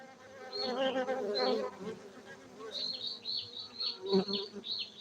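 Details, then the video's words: Honey bees at a beekeeping site in Gayo, Bener Meriah, Aceh, Indonesia: a dense, overlapping hum of many wings with a low droning buzz, rising and falling in loudness, and higher whining tones as individual bees pass close. "Markaz lebah madu gayo Aceh Indonesia bener meriah"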